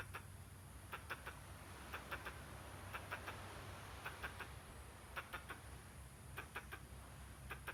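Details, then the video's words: Squirrel giving strange calls with accompanying gestures: clipped, husky chuck notes in rapid pairs and triplets, bursts spaced irregularly, with a steady low hum behind. "Squirrel, making weird noise and gestures."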